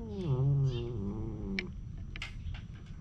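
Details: Stray cats in a community cat colony, one giving a low, harmonic-rich drawn-out yowl that slides downward and wavers, followed by scuffing and clicking sounds.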